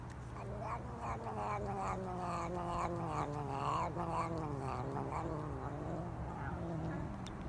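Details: Domestic cat making a long wavering, moaning caterwaul with pulsing, yowling rises and falls, over steady low background noise.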